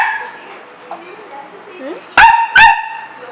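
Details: One of two pet dogs at home asking to go out in the rain to play: after a soft, quiet lead-in, two loud, clipped barks come close together near the end.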